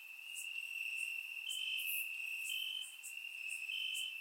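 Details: Warm summer night in Bulgaria, crickets in the grass: a continuous high-pitched trill runs throughout, with short pulsed chirps and scattered bright clicks from further insects, recorded with a surround microphone.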